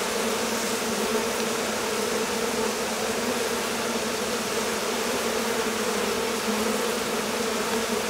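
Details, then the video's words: Honey bee swarm in flight as a colony leaves its hive on a warm day after long rain and cold; a uniform, dense buzzing hum with a steady tone band and no pauses. "Abeilles. Essaimage d'une colonie"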